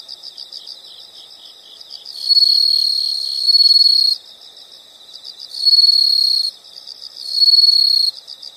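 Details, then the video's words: Steady background of quick, regularly pulsed insect chirps overlaid by three louder, high continuous trills lasting one to two seconds each, separated by short gaps in which only the softer pulsing continues. "the sound of insects"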